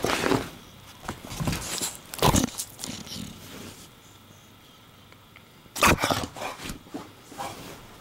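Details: Porkchop the English Bulldog barks and snaps at the camera while making a laundry nest: two sharp, loud bursts separated by a few seconds, with softer grunts, snuffles and rustling of fabric between them.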